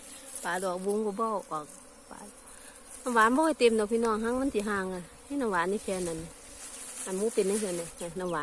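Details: Buzzing of Asian honey bees around a wild cavity nest that turned out abandoned: repeated loud, wavering drone bursts a few times per second, pitch sliding up and down as bees circle close, quieter hum between.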